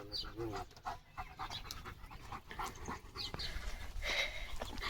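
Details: German Shepherd named Leo on a countryside walk through green wheat fields, breathing in quick, breathy, rhythmic pants, with brief human voices and a short high tonal sound toward the end.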